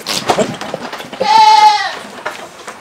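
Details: Big black male goat kept for breeding on a farm gives one steady, nasal, held bleat lasting about half a second, amid clattering background noise.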